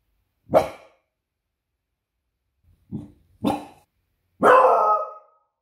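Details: Female beagle barking while on guard duty, slowed to slow motion: one drawn-out bark, a pause, two shorter barks, then a long harsh final bark in a quiet indoor setting.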